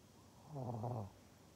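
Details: A pug in Japan gives a single low, throaty grunt lasting about half a second, recorded November 14, 2020.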